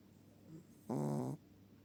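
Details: Chihuahua asleep, giving a single low, rattling snore of about half a second with a faint softer breath before it, in an otherwise quiet room.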